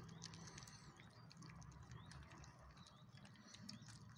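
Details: A Chow Chow puppy eating its dinner noisily, with irregular crunching, smacking and lapping over a low, steady rumble.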